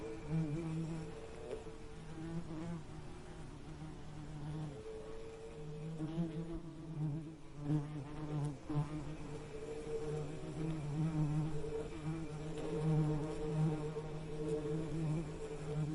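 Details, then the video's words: Bees buzzing continuously, a low droning hum with steady harmonic bands that waver slightly in pitch and swell and fade as insects move closer and farther away, with no other sounds. "Soothing Bee Buzzing Sound"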